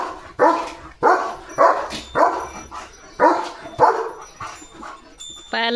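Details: Pet German Shepherd named Leo barking to announce that rain is coming: a run of about nine sharp, harsh barks roughly every half second, unevenly spaced, with a person's voice breaking in at the very end.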